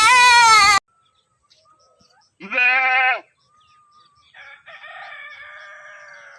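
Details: Goats grazing and feeding bleat in loud, nasal, quavering bursts, each lasting under a second.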